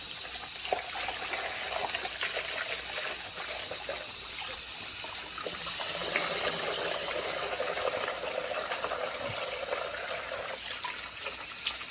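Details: Gushing, splashing water hisses continuously, loudest in the high range, with no animal voice audible.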